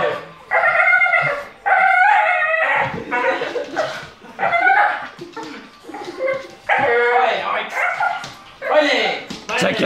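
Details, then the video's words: Bull Terrier making a weird noise: a series of wavering, whiny yelping bursts, each about a second long, rising and falling in pitch and separated by short pauses, with some voices possibly mixed in. "Bull terrier make weird noise"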